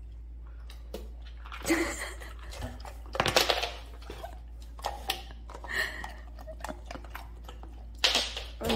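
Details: Bursts of indoor speech mix with splashing water and clinking sounds over a low electrical hum.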